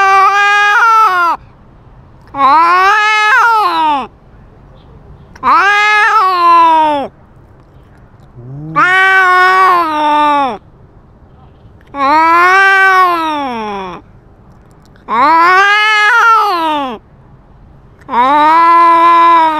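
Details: Cat carrying a GoPro, fighting and asserting dominance over territory: seven long, loud, wavering yowls, each rising then sagging, about two seconds apiece with short silent gaps roughly every two and a half seconds.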